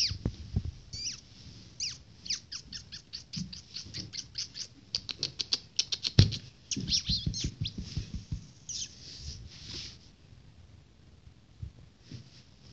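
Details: Two-week-old Shih Tzu puppies at play give rapid, high, thin squeaks in quick bursts over soft rustling.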